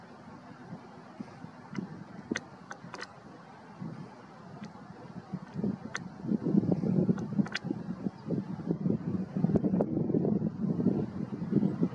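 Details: Steady wind rumble and low engine-like noise with a few faint clicks, and no animal voice can be picked out.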